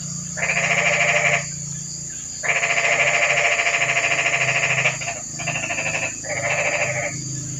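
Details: Toads calling in the rain on a quiet night: four buzzy, rapidly pulsed trills lasting one to two and a half seconds each, separated by short gaps, over a steady high hiss and a low hum.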